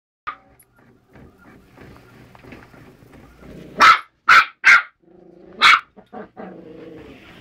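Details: Male Westie puppy indoors attacking a working printer, apparently disliking its noise and paper; four sharp, high barks in quick succession amid the steady whirr and clatter of the printer.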